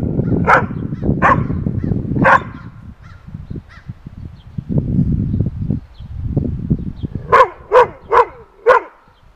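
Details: Rough Collies barking at a groundhog perched on a fence: three sharp barks at the start, then a quick run of four or five loud barks near the end, over steady low rumbling background noise.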